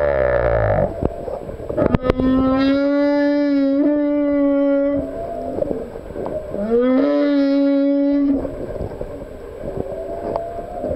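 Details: Song of a male humpback whale: long, level, tonal moans with rich overtones, one ending in a brief upward slide, separated by quieter gaps and faint clicks.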